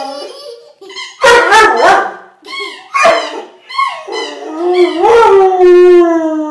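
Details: A Vizsla howls and whines at a squeaky toy a young girl is squeaking, in long, wavering, pitch-bending cries, with the child's giggling mixed in.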